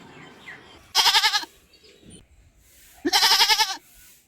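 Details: A goat gives two loud, wavering bleats about two seconds apart, each with a quick vibrato, over faint background noise.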